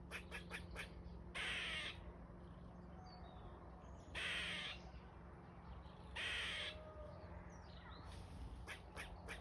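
A squirrel gives harsh, raspy drawn-out calls, repeated every couple of seconds between quick clipped notes.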